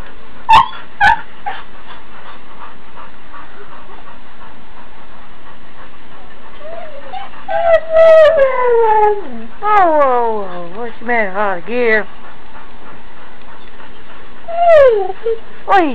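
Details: Huskies, including one named Holly, calling in the morning because they want to go outside: drawn-out falling howls and whines in bursts, with a woman's voice asking what the matter is in between.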